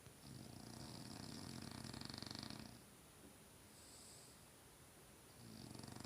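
A French bulldog snores in long, rough, rattling breaths with a throaty buzz.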